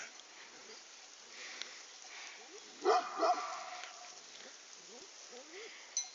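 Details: Three agitated dogs, two crossbreeds and one Aksaray Malaklı, being stirred up. A short cluster of loud, harsh barks bursts out midway, with faint scattered yips before and after, a man talking throughout, and steady background hiss.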